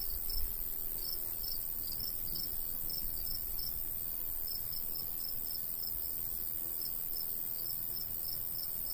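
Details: Crickets in a summer wheat-field landscape, steady high chirping pulses in a regular rhythm, partly masked by heavy low wind noise and a short bump at the start.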